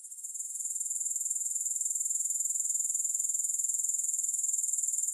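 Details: A high, shimmering grasshopper trill with no music, fading in at the start and settling into a regular pulse of roughly four beats per second.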